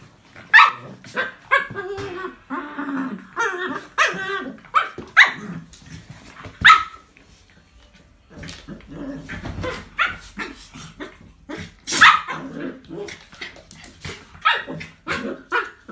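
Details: Two pet dogs at play, a 10-month-old Chinese Crested puppy named Coco and a 9-year-old Jack Russell named Milo: sharp yappy barks in quick bursts mixed with growls and scuffling, a short quiet pause mid-way, then more barking.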